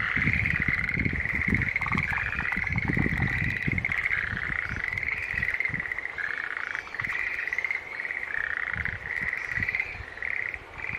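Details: Green tree frogs calling in an unbroken chorus: overlapping tonal notes hold a steady mid-high pitch and run together across the whole stretch, over low thumping rumbles.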